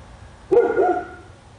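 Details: A single sharp bark from a dog on Spruce Street in Royse City, Texas, a dog said to bark for hours each day. One short, loud, mid-pitched bark cuts off quickly over a quiet background.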